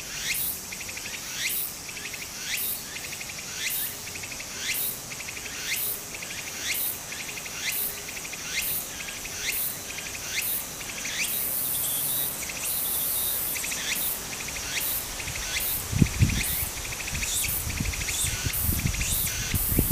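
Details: Cicadas sing in rapid, buzzy phrases repeated about once a second over a babbling stream in summer in Japan.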